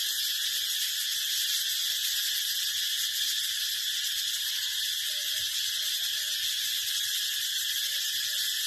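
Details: Continuous shrill drone of a brown cicada, an even, high, hissing buzz without pauses or changes in intensity, faint low murmurs beneath.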